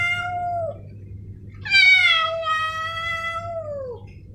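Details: Male domestic cat meowing, from a compilation of Snowy and Milo: a brief falling meow, a pause, then a loud harmonic-rich meow held for over two seconds before dropping away, over low hum.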